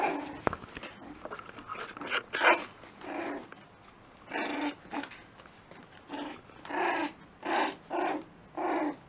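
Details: Lakeland Terrier puppies yapping and growling in repeated short bursts, the later ones evenly spaced about a second apart, against a faint background hiss.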